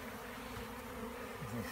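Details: Bees buzzing in a steady, continuous low drone with no clear breaks.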